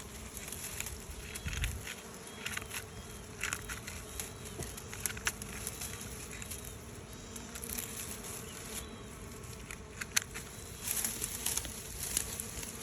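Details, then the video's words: Bees swarming from their old hive to a new one make a steady low droning hum, overlaid with scattered crackles and clicks and a thin high hiss. "ឃ្មុំហើរចោលបង្គងចាស់ នៅបង្គងថ្មី"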